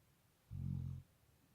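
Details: A single short, low, rumbling snore from a Labrador Retriever, about half a second long, in a quiet indoor setting.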